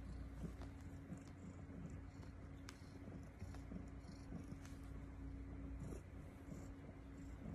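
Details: Estella, a foster mother cat, lies with her kittens on the eighth morning, giving lots of purring: a steady low rumbling drone with faint scratchy rustles and a persistent steady hum underneath.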